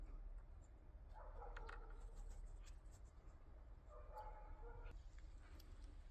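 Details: Cat outdoors in a yard where rabbits, hens and a cockerel also live; two short, level, slightly nasal meows roughly three seconds apart, quiet against continuous low background hum and light clicking.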